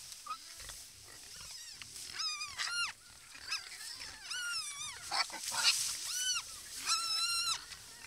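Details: Wild boars gathered at a watering hole in their natural habitat: repeated high, arching squeals, each rising then falling, come in bursts about a second apart over a hissing, noisy background.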